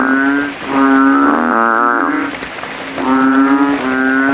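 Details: Nearly every banded bullfrog in a cemetery calls from a rainwater puddle at night, inflating its throat to outdo rivals: one loud, buzzy, moo-like call with wavering pitch, then a second frog's steady low note.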